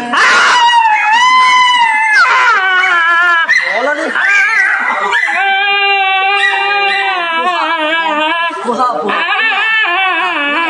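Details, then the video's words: A dog about to get an injection cries without a break, long warbling wails that rise and fall in pitch and run into each other across the whole stretch, loud and strained. "Dog crying While going for Injection"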